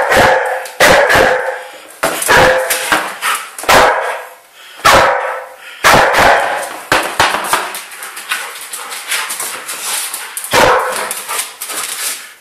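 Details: Excited 12-month-old female Old English Sheepdog barking while being chased in play. Loud, sharp barks come in quick, uneven bursts, some doubled, with softer yips and panting-like noise between them.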